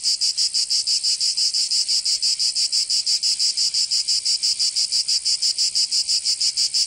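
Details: In Provence, southern France, cicadas sing through the summer heat: an intense high-pitched rasping drone broken into even, quick pulses near three each second, steady throughout.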